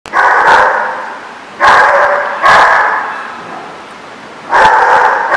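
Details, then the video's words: Dog at The Barking Lot, recorded 10/10/14, giving four loud, hoarse barks spaced one to two seconds apart, each followed by a long echoing tail as if in an enclosed, reverberant space. "The Barking Lot"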